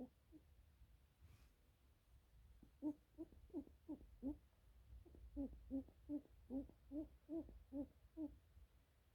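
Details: Pet lionhead rabbit being stroked by its owner, giving a run of soft, low, hoot-like pulses, about three per second, in two bursts separated by a short pause, over a quiet, faintly humming background.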